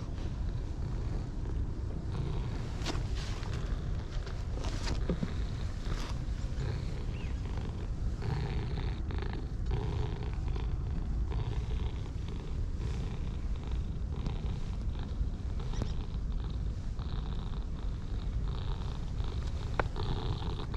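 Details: Pale and dark orange tabby pair purring contentedly under petting: continuous deep vibrating rumble throughout, with scattered soft clicks and rustles of handling above it.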